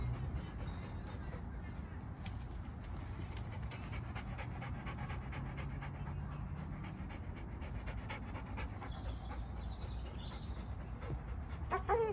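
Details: Golden Labrador during trick and problem-solving training in woods, recorded 26 May 2021; steady rapid breathy panting close by, with faint bird calls in the background.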